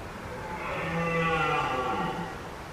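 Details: A red deer stag in a mountain forest near the end of the rut gives a drawn-out, hoarse, moaning roar, then moves calmly away.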